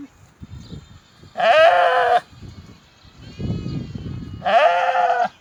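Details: Sheep bleating: two loud, wavering, harmonic baas, each under a second long and about three seconds apart, with low rustling and shuffling noises in between.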